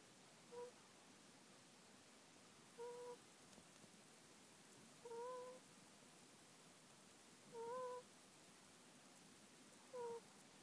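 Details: Middle-aged pet ferret asleep, snoring modestly with a 'pu-pu-pu' sound, recorded on an iPhone on 26 January 2014. Five soft, whistled nasal tones, each slightly rising, come roughly every two and a half seconds against quiet room hiss.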